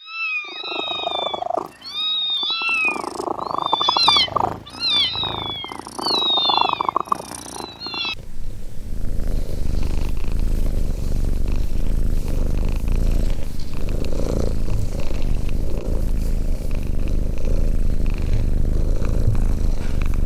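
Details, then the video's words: Domestic cat giving a rapid run of short, high, downward-sliding meows for about eight seconds, then a steady loud low rumbling noise fills the rest. "Funny Cats sound"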